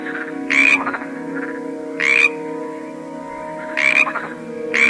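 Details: Frog croaking: three loud rasping bursts spread across a few seconds, separated by quieter rattles, over a sustained low tonal hum.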